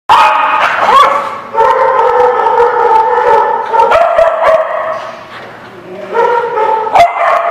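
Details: Several dogs recorded on 17 April 2017, a chorus of drawn-out harmonic yowling tones overlapping continuously, broken by sharp, abrupt barks near one, four and seven seconds.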